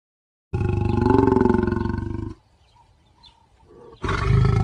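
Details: A lion gives a deep, rumbling roar with a pulsing, throaty vibration, then starts another.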